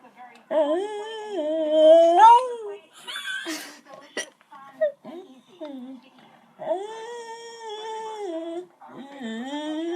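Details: Female beagle making drawn-out, wavering whining howls with strong harmonics because she sees another dog, seeming to try to talk; tones bend up and down in long phrases, with a short clatter midway.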